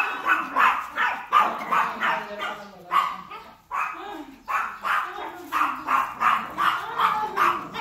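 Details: Small Chihuahua, fierce and angry toward the big dog Hansel, firing quick shrill barks in clusters, with a short silent gap after about three and a half seconds before the yapping resumes steadily.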